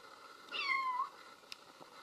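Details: Kitten giving a single short, high meow that slides gently downward, followed by a faint click in a quiet room.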